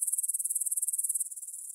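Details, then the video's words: Grasshoppers in a field near Bryansk's Svensky monastery, Russia, at 9pm on 6 September 2020, recorded on a Tascam DR-44WL: a fast train of high, sharp chirring pulses that softens and fades after about one second. "Звук для сна: кузнечики на лугу – Grasshopper Sounds in the Field"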